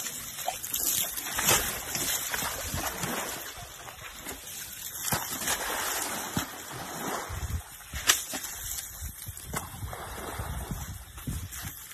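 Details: Splashing and sloshing water fill the recording over a constant broadband hiss, with a few sharp splashes standing out. No animal voice can be picked out.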